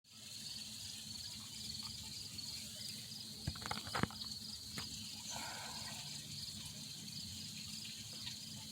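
An insect keeps up a steady, high-pitched pulsing trill with a few sharp clicks.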